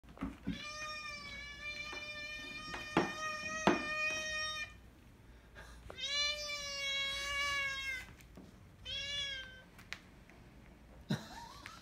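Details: Male cat giving long drawn-out meows while sniffing another cat, three sustained harmonic-rich wails, the first about four seconds long, a second slightly falling one, then a short one, with clicks and rustles indoors.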